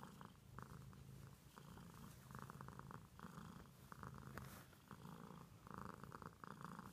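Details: Domestic cat purring close by, a soft buzzing rumble that swells and fades in cycles of roughly one second, with faint clicks and brushing noises scattered through the room.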